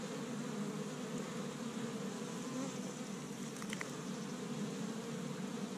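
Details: Busy honey bees at an established Michigan hive on the first warm spring day, collecting tree-bud pollen; continuous thick buzzing hum, even in loudness, with a brief faint tick around the fourth second.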